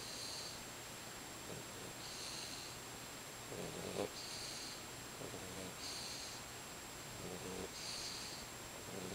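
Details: White Boxer puppy, a 12-week-old female, asleep and tucked under a blanket, snoring softly: breathy in-and-out rasps with a faint hiss, repeating about every two seconds over a steady low hum.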